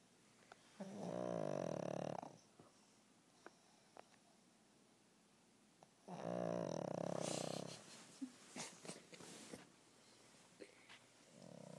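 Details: Sleeping pug snoring indoors: two long, raspy, nasal snores about five seconds apart, each a buzzing rattle lasting over a second, with scattered small clicks and snuffles between.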